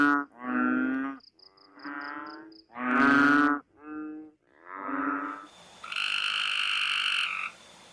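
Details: A frog gives loud, harmonic, bleating calls, possibly a mating call, each about a second long, with short pauses between. Frog.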